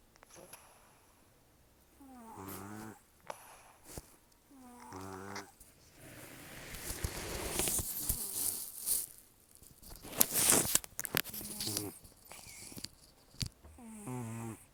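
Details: Taro, a rescued senior cat of roughly 10 to 14 years with few teeth left, breathing and snoring loudly in sleep: buzzy, harmonic snore bursts recurring every few seconds, broken by a long stretch of rustling, breathy noise.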